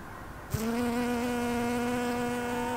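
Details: An unusually loud bee filmed on 10 September 2020, noticeably louder than the usual bees around: a steady, deep droning buzz starts abruptly after half a second and holds evenly at one low pitch to the end.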